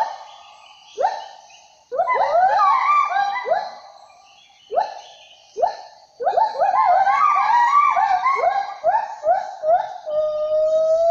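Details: Sumatran siamangs (Symphalangus syndactylus) give loud, ringing whoops that swoop upward, building into overlapping, quickening bursts.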